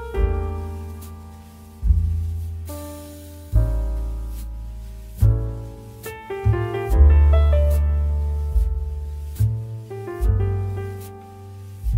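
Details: Piano music with struck chords and melody fills the recording, with no animal sound audible.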